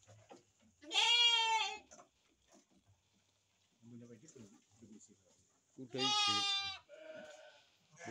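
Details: Two loud, drawn-out, wavering bleats from breeding sheep with lambs, about five seconds apart. Between them a man speaks quietly, and a softer, lower call trails the second bleat.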